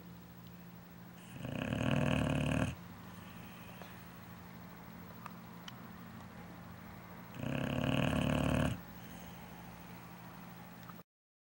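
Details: Sleeping big dog snoozing indoors; two loud, rumbling snores about six seconds apart, each lasting over a second, separated by quiet breathing and faint room noise.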